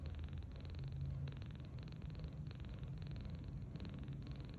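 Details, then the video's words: A 39-day-old kitten named Tange, rescued on March 8, 2025, snores softly while sleeping belly-up on a bed. The sound is a soft, grainy buzz in short bursts, repeated roughly every half second. "Sleeping Like a Baby! Tange Snoring So Sweetly"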